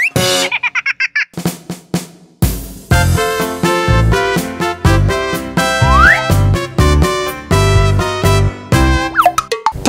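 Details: Bouncy children's music with boing effects and drums, and no animal sound.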